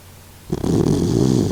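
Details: A loud, steady, vibrating snore from Kokomaro, an elderly 16-year-old Doxiepoo with stomach cancer, starts abruptly from quiet and continues rumbling low while the dog sleeps.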